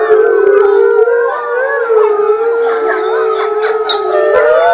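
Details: At a wolf research centre, several grey wolves in a pack howl together in long, wavering, overlapping tones after a packmate is taken out for a walk, in a study of how howling depends on who leaves.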